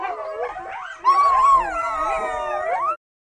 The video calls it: Coyote Sounds 🐕 Coyote Sound Effects